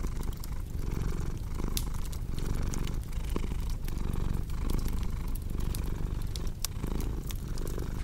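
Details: Soft rumbling purr of a cat, steady and low, partly mixed with a busy crackling fireplace whose snaps and pops come thick and bright over the gentle breath-paced pulsing.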